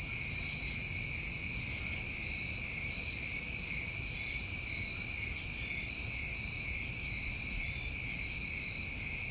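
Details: New England summer crickets trilling together at night, a continuous high-pitched shimmer in stacked bands, punctuated about every three seconds by a short hissing buzz far above, over quiet low rumble.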